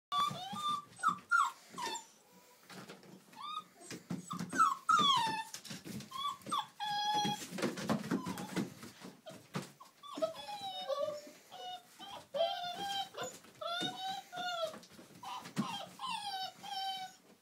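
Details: Six-week-old Old English Sheepdog puppies at play: a busy run of high, wavering whines and squeaky yelps, some rising then falling, overlapping one another, with low growls and scuffling beneath.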